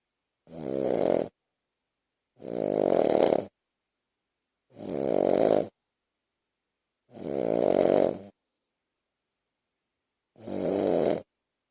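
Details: A two-year-old Shih Tzu, Lhasa Apso and Bichon mix sleeping on a person's chest at night snores in rough, rasping breaths, each lasting about a second.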